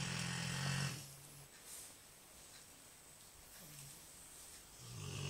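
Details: A big Rottweiler snores loudly, recorded on an Android phone: a deep, rattling indoor snore opens the clip, then a quiet pause of steady breathing before the next rumbling snore begins at the end.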